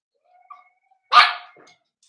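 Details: Cavalier King Charles Spaniel puppies socializing with older dogs indoors while starting puppy food, 12/13/22: a faint whimper, then one loud, rough, abrupt bark with a short quiet tail afterward.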